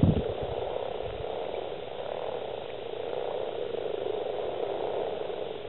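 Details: Breeding chorus of Rana temporaria males, East Kilbride, South Lanarkshire, 28.02.2012, at least 70 frogs gathered; soft, grinding croaks blend into an unbroken purr, with a brief thump at the start.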